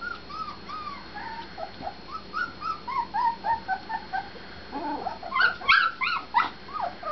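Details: Several husky puppies whine together in brief, curved, high squeaks repeated about three times per second, building to a louder burst of overlapping yips and cries near the end.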